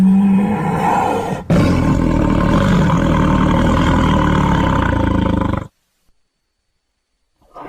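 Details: Tiger giving a long, low, grinding roar held steadily for over five seconds after a short opening burst, then cut off into silence with a faint sound returning at the end.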